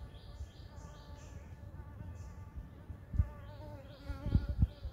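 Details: Blue-banded bee droning with a wavering, overtone-rich hum in a front yard, while small birds give quick falling chirps in runs and low knocks sound near the end.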